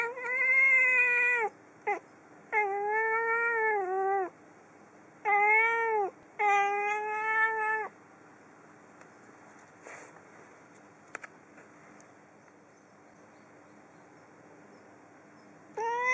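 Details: Female pet cat indoors repeats loud, long meows. There are four in quick succession over eight seconds, each with a bent, arching tone. Then comes a quiet pause with faint clicks, and a fifth meow starts at the end.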